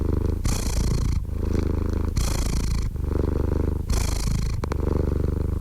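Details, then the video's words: Cat purring up close: a thick, low buzzing rumble with rhythmic breath cycles about every 1.7 seconds, each exhale louder and rougher, nothing else audible. "Purring Cat"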